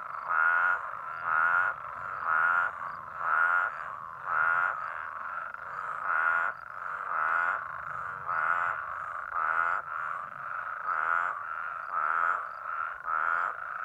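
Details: Chorus of New Mexico spadefoot toads gathered at rain-filled low pools to spawn after a long-awaited rain, heard from over a mile away. Steady overlapping bleating, buzzy calls, each under a second, following one another almost without pause.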